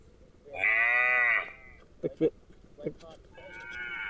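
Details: Grazing cow produces a loud, sustained moo of about a second, followed by a few sharp knocks or clicks and then the start of another higher, harmonic call.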